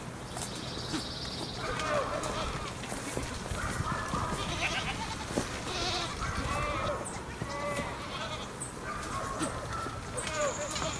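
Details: Stray goats roaming above Sasa, several bleating in overlapping, wavering calls throughout, with a steady rustling background and occasional high chirps or bell-like tones.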